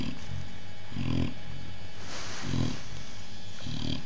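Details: Chow Chow Oliwka with her puppies, always hungry: low, rough grunting bursts repeat roughly every 1.3 seconds over a steady low indoor hum.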